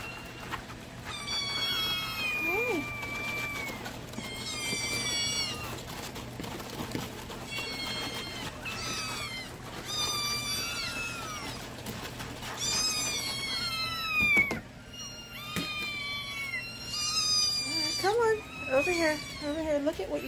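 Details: Several hungry kittens screaming for their milk during the morning feeding routine indoors, a dense run of high, wavering meows repeated every second or two, with a person's voice urging them over.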